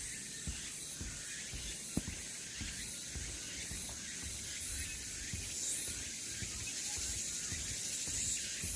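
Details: Cicadas along the Deogeumsan Solbaram-gil trail in Namwon on 16 August 2019: a dense, hissing high buzz that swells and pulses unevenly, with scattered low thumps and rustles underneath.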